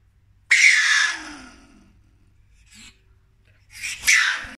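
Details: A marten, possibly one caught in a trap, gives two harsh, hissing bursts that are sharp at onset and quickly fade.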